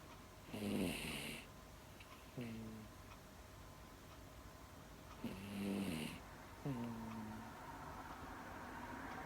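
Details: Female Miniature Dachshund kept as a pet, drifting into sleep and snoring: rasping inhaled snores alternating with short whistly nasal exhales, a cycle of roughly five seconds, room otherwise still.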